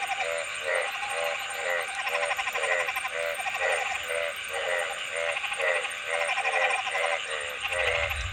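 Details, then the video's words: Frogs calling in a steady chorus, pulsed nasal croaks repeated about twice a second, each with a rich buzzy overtone, over a constant high hiss. "Frog Sounds ।। See what frogs look like while making sounds"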